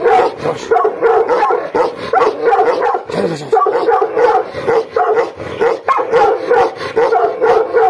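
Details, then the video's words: Aggressive Gaddi dog, the Himalayan shepherd breed, barking furiously: dense bursts of harsh, rough barks with short whining yelps between them, nearly continuous for several seconds. "भोटिया GADDI DOG, BILLA अग्रेसिव mood"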